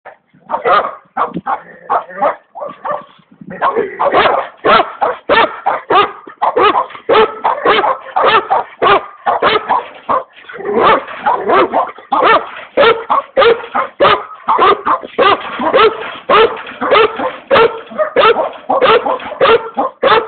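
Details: Komondor dog barking in rapid, continuous bursts, roughly a hundred barks a minute, with a brief harsher growly passage near the start before steady repeated barks fill the rest.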